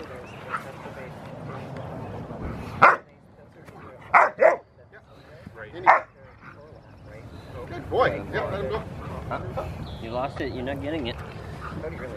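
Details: Six-month-old Rottweiler Gent at play, Victoria Rottweiler Club, June 15, 2020, gives four loud, abrupt barks, two close together, over a few seconds, followed by people talking and lively background chatter.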